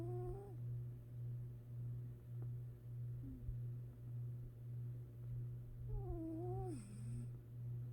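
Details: Low, even breathing drone of a sleeping cat, rising and falling in a steady rhythm, with short wavering whine-like tones at the start and near the end.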